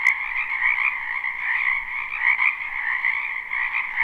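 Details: Chorus of spring frogs from a wetland behind a house, recorded live: overlapping high trilling croaks form a dense continuous hum, swelling slightly every second or so, with a faint click at the start.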